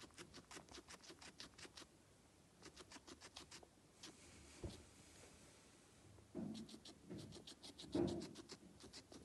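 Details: Feeding guinea pig heard at close range: bursts of dry crunching clicks at the start and again near the end, separated by a quieter pause with soft rustling and a few thumps.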